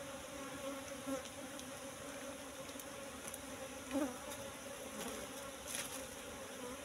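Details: Asian honey bees (Apis cerana) droning at a wild nest in bushes where the honey was full. A continuous buzz swells briefly at about one and four seconds, with scattered soft clicks and rustles.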